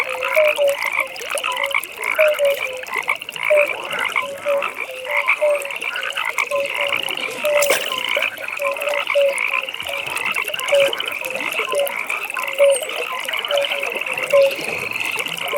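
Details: Pond frog chorus at night. Rapid beaded trills hold a high, even pitch, and lower short croaks repeat roughly every half second. Many frogs call at once, with scattered clicks in the background.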